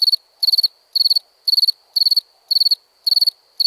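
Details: Single cricket chirping: each chirp is a quick trill of four or five shrill pulses, about two chirps per second, in otherwise quiet surroundings.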